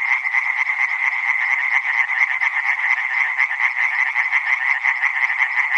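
A dense chorus of tree frogs, their rapid rattling calls overlapping into a continuous, bright trill.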